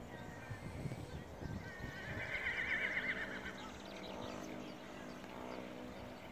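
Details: Horse ridden in cross-country and dressage, letting out a single quavering, high-pitched whinny lasting about a second, followed by quieter rumbling and constant outdoor background noise.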